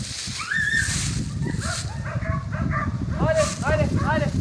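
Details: Jagdterrier hunting dog in Kosovo, filmed from a drone: a quick run of short, arched, yelping barks near the end, over a steady low rumble with human voices.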